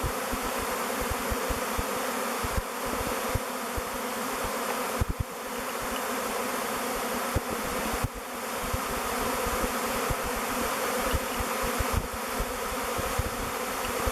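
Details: Honey bee swarm in flight, thousands clustered and swirling before settling on a log hive, Bee Beard, as their future home; continuous droning buzz with many low flutter thumps and a few short breaks in loudness.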